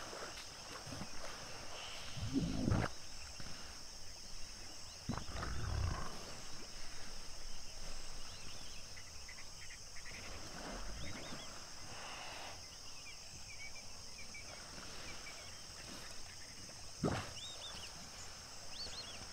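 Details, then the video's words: African hippo pod at sunset at Duba Plains in the Okavango Delta: a few short, deep grunting bursts a few seconds apart, with high chirping birds and a steady hiss in the background. "Sunset and hippo pod at Duba Plains, Okavango Delta - full length with hippo sounds"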